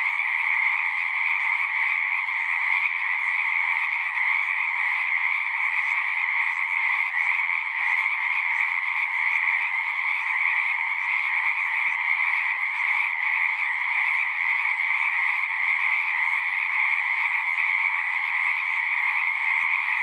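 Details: A large chorus of singing frogs in natural surroundings: an unbroken, dense trilling drone, even in loudness, with layered mid and high-pitched bands and no pauses, voices or other animals standing out.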